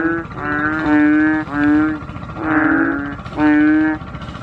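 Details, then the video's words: Five loud, low-pitched Asian painted bullfrog calls in just over four seconds. Each is a drawn-out nasal honk of about half a second, separated by short pauses. "Noisy Chubby Frogs | Asian Painted Bullfrog"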